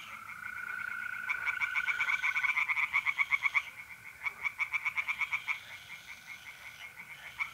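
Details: Tree frogs singing in a pond at night in mid-April, North-East Italy: rapid rasping pulses in fast repeated bursts, overlapping callers, with a steady high trill of mole crickets running underneath.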